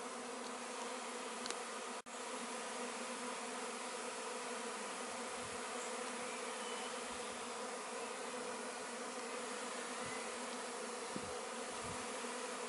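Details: Swarming honey bees from a neighbour's garden being gathered into a cardboard box after the queen was found, 26 May 2013; a dense, steady buzz fills the whole clip with a brief click near two seconds.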